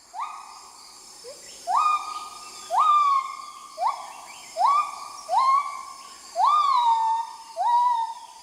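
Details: Black gibbon, an adult male, sings at sunrise along the Mekong to mark a new day, audible within 7 km. About eight steeply rising whoops are repeated at roughly one-second intervals, several ending in a brief upward flick.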